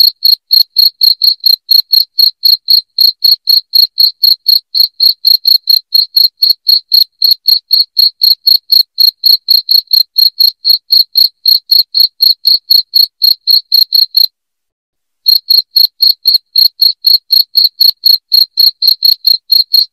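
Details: A long stretch of loud cricket chirping intended to repel rats at home, with sharp high-pitched pulses ticking steadily about four times a second and one sudden silent break of about a second midway through.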